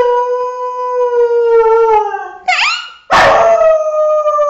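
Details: Dog howl from a comic compilation, a long drawn-out harmonic note that sags gradually, a brief rising yelp, then a loud abrupt start into another sustained howl.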